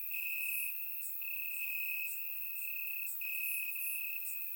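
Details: On a warm summer night in Bulgaria, grass crickets keep up a bright ringing trill broken by brief gaps about every second or so, accompanied by fainter, higher flickering chirps from other crickets nearby.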